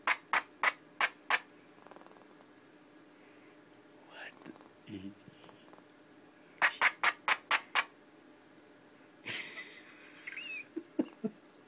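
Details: Indoors, upset pet squirrel Pinky barks in clipped bursts, five quick ones, a quieter gap with a woman's murmuring, another run of six, then the woman talking again.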